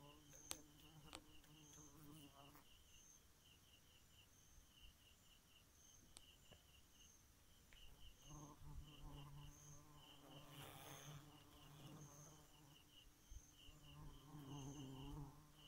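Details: Night-time bee buzz: a low droning hum for the first few seconds, near silence with only soft high insect pulsing in the middle, then the hum returns more strongly with sharp clicks scattered through.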